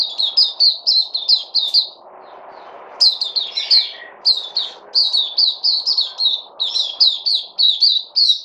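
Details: Kept white-eye (puteh) recorded 3 August 2020, singing lively high twittering series broken by a short pause and a lower rolling phrase, notes rapid and evenly bright, faint hum underneath.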